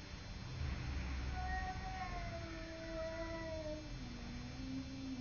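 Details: Domestic cat fighting with a neighbour cat, giving long drawn-out wailing caterwauls that slide slowly downward in pitch over several seconds, with steady low background hum.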